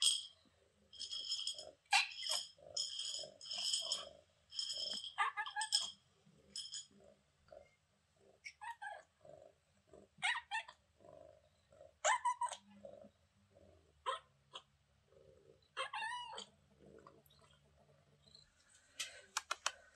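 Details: Kitten named Mira, met on vacation in Greece, making her sweet beeping sounds: bursts of high, thin beeps repeated rapidly over the first six seconds, then scattered wavering mews and short chirps against a quiet background.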